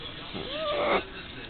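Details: A 10-year-old male dachshund gives a drawn-out whine, rising then holding steady. He begs like this for about 30 minutes before dinner time every night, and is told to go lie down.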